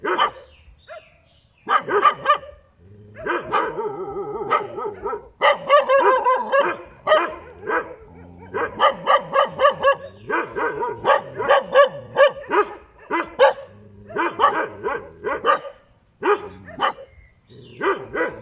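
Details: Barking dog beside a road, near-continuous series of loud, harmonic barks and yips with brief breaks, bursts crowding together in quick runs across the whole recording.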